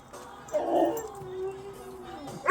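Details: Excited Siberian huskies howling; one gives a drawn-out, wavering howl that slides gently downward in pitch.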